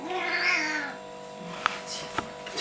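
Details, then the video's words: Domestic cat 'talking': one drawn-out meow lasting about a second, rising then falling, followed by two sharp clicks and a faint steady hum. "Кот разговаривает"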